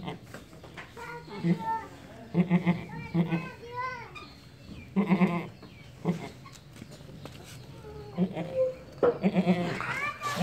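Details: Beetal goat kid giving repeated quavering bleats in short bursts, some rising and falling in pitch, roughly every second or two, with soft background voices and handling noise between calls.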